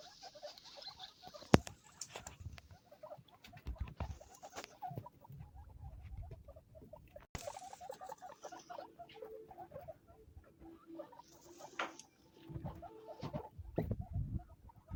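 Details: Baby guinea pigs at Hana Pet, a guinea pig specialist pet shop in Sapporo, Hokkaido, Japan: soft repeated squeaks and chirps in short bursts, with rustling and bumping sounds in between.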